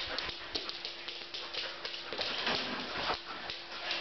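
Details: Two Samoyeds playing tug of war, breathing in quick, rough, breathy bursts of broadband noise that come in an uneven rhythm, with a few sharper scuffs and thumps between them.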